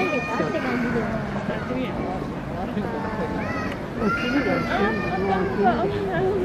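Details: Giant pandas Ouhin and Tohin at Adventure World call while squabbling over a bamboo stalk: clear, tonal, bleating cries with wavering pitch, clustered in the second half, over steady crowd chatter from zoo visitors.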